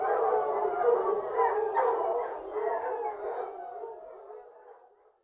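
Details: Hounds on a fox hunt singing as a pack, a chorus of wavering overlapping howls that gradually dies away to silence.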